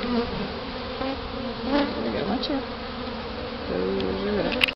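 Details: A swarm of bees just hived after removal in Houston, Texas, October 2011, with the queen being freed from her cage; an even, humming buzz with rising and falling whines from bees passing nearby, ending with a sharp click.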